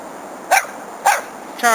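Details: Young Border Collie pup playing with other dogs: two short, sharp barks about half a second apart, then a brief harmonic yelp, with a person talking and urging the dogs to go play.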